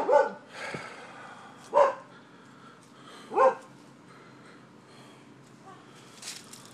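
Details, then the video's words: Neighbours' dogs barking in the evening, Seminole, Florida, 28 October 2015: three loud, sharp barks spaced about 1.7 seconds apart, then fainter sounds in a quiet background. "Barking Dogs"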